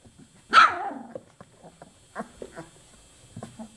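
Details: Chocolate Labrador puppies, 24 days old: one loud, high yelp falls away into a whine, followed by a few soft, low squeaks.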